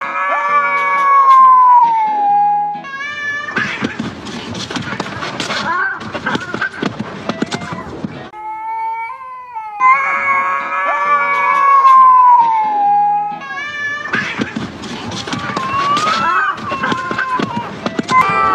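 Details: Male cats wrestling: loud, drawn-out wavering yowls that slide downward, repeated twice, broken up by long stretches of harsh, noisy scuffling bursts and short rising cries.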